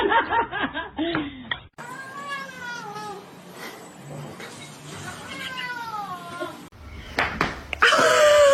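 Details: Domestic cat giving drawn-out, falling meows, two long wavering cries a few seconds apart, with laughter and voices before and after and a clatter at the end.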